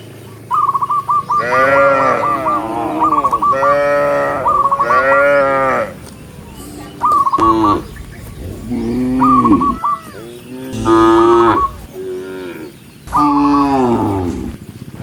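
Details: Mooing cattle from a herd heading to the barn: drawn-out, rich bellows of about a second each, many animals calling in turn, some rising at the end, with bursts of rapid high chirps alongside.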